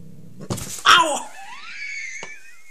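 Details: Angry cat giving a short harsh outburst, then a drawn-out wailing yowl that rises and thins into a high, wavering tone, indoors with a sharp tap near the end.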